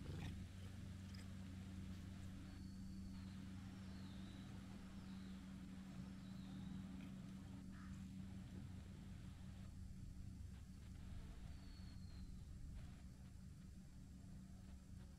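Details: Brown tabby-and-white cat, apparently a stray, kneading and licking, gives a steady low rumbling purr that runs unbroken through the clip, with faint high whistles of birds in the background.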